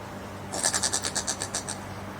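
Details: Brushtail possum in Queensland, Australia, giving a strange noise: a quick run of about a dozen rasping, pulsed notes over roughly a second, fading slightly toward the end, with a constant low hum behind.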